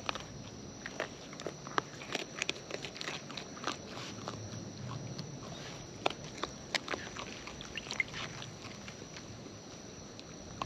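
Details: Raccoons in the wild feeding at close range: scattered crisp crunches and wet smacking bites spread irregularly through ten seconds, mostly soft with a few louder snaps, backed by a steady high-pitched hiss.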